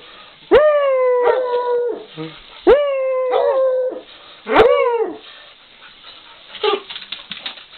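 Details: Dog giving three long falling howls in quick succession, each with a rich, bright tone, followed by quieter whimpering noises toward the end.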